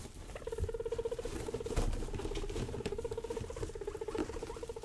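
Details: Young pet guinea pigs Rosie and Buddy being wild and playful indoors: a steady low pulsing purr-like rumble, almost continuous with brief breaks, over rustling bedding and soft scuffling.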